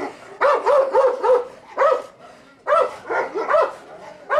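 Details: Central Asian Shepherd Dog (Turkmen Alabai), female, barking in a territorial guard test. Rough barks come in rapid runs of three or four, broken by short pauses.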